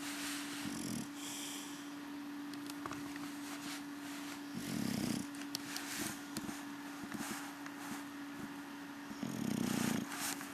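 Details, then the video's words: Rocky Balboa, an English Bulldog, snoring through his evening siesta: three soft, coarse, low snorts spaced about four seconds apart over a steady background hum. "Rocky Snoring"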